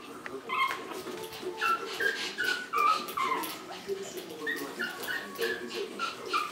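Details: Shih Tzu puppies, 4.5 weeks old, from one litter, giving a run of high whimpers and yips that slide up and down, about three per second, with soft rustling between them.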